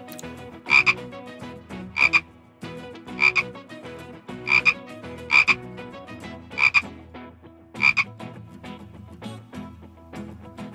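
A frog gives short, raspy croaks, one roughly every second, over a faint low background hum.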